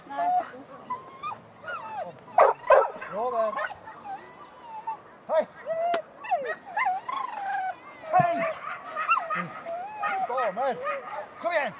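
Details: Schapendoes at a Jumping 1 Large agility run, Belgerspesialen, Evje, Norway, 6 September 2014; high wavering whines and yips, some sliding up and down, mixed with sharp short barks, handler calls and background talk.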